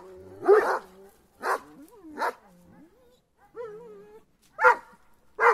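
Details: Kangal dogs on the attack give a few spaced harsh barks mixed with long wavering whines and yelps, gaps of quiet between bursts.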